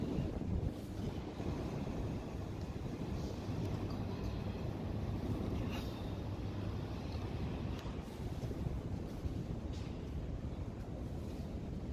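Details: Steady outdoor wind buffeting the microphone with a deep rumble throughout, and no animal sound.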